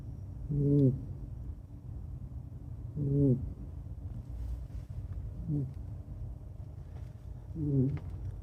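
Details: Sound asleep, the red long-haired Kaninchen dachshund Ebisu, a female ex-breeding rescue dog, snores unusually: four low rasping, harmonic breaths spaced about two and a half seconds apart, with faint room hum behind.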